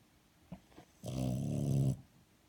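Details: Sleeping French Bulldog gives one rough, rumbling snore lasting about a second, preceded by a couple of faint soft breaths in a quiet room.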